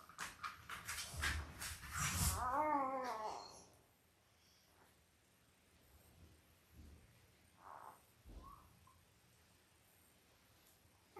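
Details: Newborn Labrador Retriever puppies, five days old, from a Christmas-themed litter of eight born October 15, 2023, to Belle: a loud run of rapid, wavering squeals and whimpers over the first few seconds, then soft scattered squeaks and shuffling indoors.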